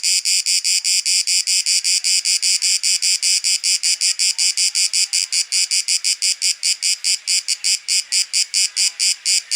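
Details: Cicada recorded in Athens, Greece, in September 2023: a loud, dense, buzzy song of rapid pulses, about five per second, fast and slightly uneven, steady throughout with no other clear sounds.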